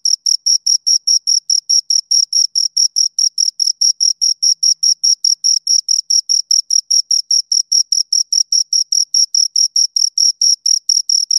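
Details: Two crickets chirping in a steady stream of short, high-pitched pulses, about four to five a second, with a bright upper overtone; no other sounds, clean background.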